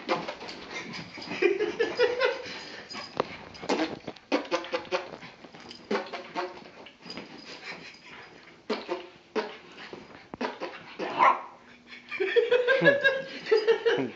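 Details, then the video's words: Indoors, the pet dog Bentley reacts to fart sounds with a long run of agitated whines and yelps, some rising tonal cries mixed with rough barks, growing more intense near the end. "Bentley Don't Like Fart Sounds"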